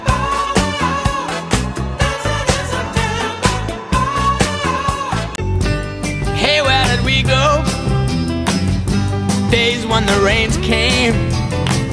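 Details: Upbeat funk-style music with drums, bass and a sung vocal line, with no animal sound audible.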